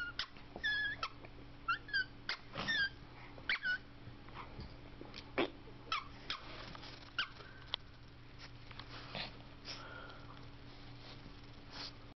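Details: Boston Terrier playing hide and seek indoors, giving a run of short, high, squeaky whines in quick bursts over the first four seconds, then fainter scattered squeaks amid thumps, clicks and a steady low hum.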